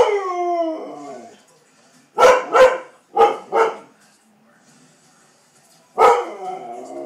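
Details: Siberian Husky reacting to a fan indoors: opens with a drawn-out, falling, whining howl, then two pairs of quick, harsh barks and one more bark trailing into a moan.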